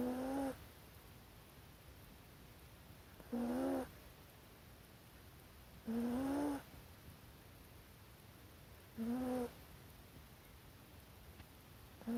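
A sleeping corgi puppy snores in short, squeaky, whistling breaths about every three seconds.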